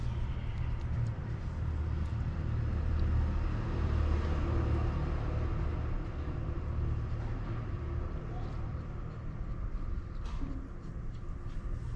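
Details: Road traffic rumble and passing cars dominate a street scene, with faint human speech and no clear animal call.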